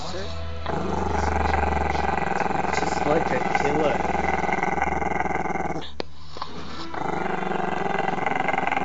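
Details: A Maltese-Shih Tzu puppy named Chester growls continuously at the camera, a deep, vibrating rattle with a short break, over background television speech and some music.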